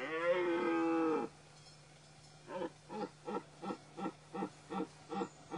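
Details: Dominant stag during the rut: a loud, deep harmonic roar lasting just over a second, then after a pause a series of short grunting bursts, about three per second, fading slightly toward the end.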